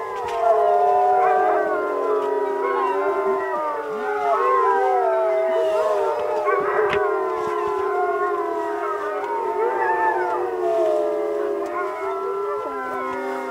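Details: A group of Alaskan Malamute sled dogs on an Arctic expedition howl in chorus, their drawn-out voices sliding up and down and weaving over one another, with no other clear sounds beneath.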